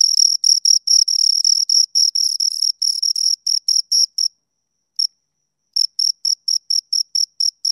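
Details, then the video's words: Two crickets chirp in fast high-pitched pulses, stop for over a second with a single chirp in the gap, then resume a steady rhythm; no other sounds. "Two Crickets Chirp Sounds"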